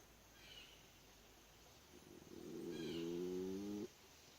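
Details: Raccoon asleep under some steps during the day, snoring: one drawn-out, low, humming snore with clear harmonics that swells over about a second and a half and stops abruptly, after two faint higher snuffling breaths.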